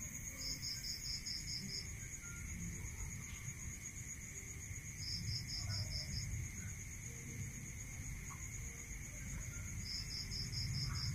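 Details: Crickets singing at night in the countryside: three trains of fast high chirps, roughly seven or eight pulses each and a few seconds apart, over a continuous shrill buzzing drone and a low rumble.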